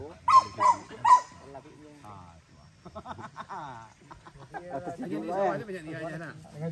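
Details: During first hunting training at Sungai Pingai with PORBI, the dog Max lets out a rapid trio of short, harsh barks, then falls quiet while people's voices continue.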